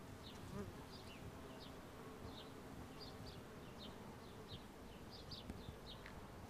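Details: Many bumblebees foraging on a wisteria tree in full bloom in spring in Southern California: a dense, low, steady droning hum throughout, with short high bird chirps repeating every half second or so above it.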